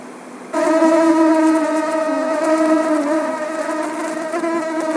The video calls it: Mosquito - sound effect